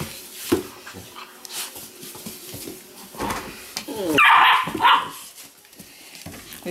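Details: Small male Weimaraner puppy getting picked on by littermates and defending himself; a loud, shrill yelping squeal burst midway, with soft scuffles, light thumps and quieter play noises around it.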